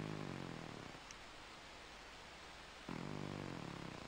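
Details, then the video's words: Miez Miez, an aging domestic cat, snoring while napping in the afternoon: a low, rumbling, harmonic snore at the start, a quiet gap, then another drawn-out raspy breath about three seconds later. "My Snoring Senior Cat Miez Miez keeps an afternoon nap"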